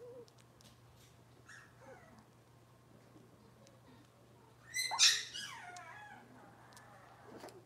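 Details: A puppy in Robin's litter of Cavalier King Charles Spaniels, filmed in the kitchen on a morning: quiet room hum, then a sudden sharp yelping whimper that rises and falls in a short cluster before fading into softer squeaks.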